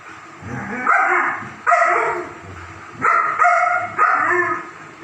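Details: German Shepherd dogs at play: four loud, rough, mid-pitched barks in uneven bursts over five seconds, with softer grumbling and whining sounds between them.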